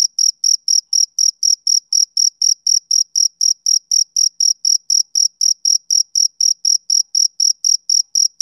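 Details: Male cricket chirping in a steady, high-pitched rhythm, about four short, shrill pulses every second, each chirp clean and evenly spaced against an otherwise silent background.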